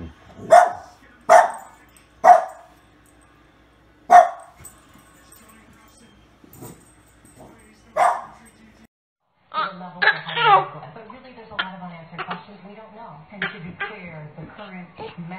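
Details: Pet dog near babies barks in a run of short, sharp yaps, four close together then a fifth after a pause; later a busier stretch of mixed voices and clattering sounds follows.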